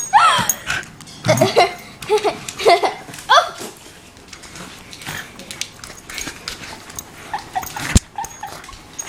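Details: Rory, a one-year-old wire haired fox terrier, playing: short rough growls and whiny yelps in bursts over the first four seconds, then scattered softer whimpers and rustling, with a sharp knock near the end.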